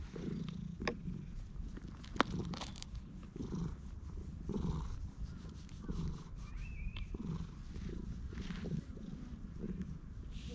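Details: Stray cat in a park purring steadily while being patted and stroked, recorded on a GoPro HERO8 Black with Media Mod. The low rumbling pulses run throughout, with faint bird chirps and light rustling in the background.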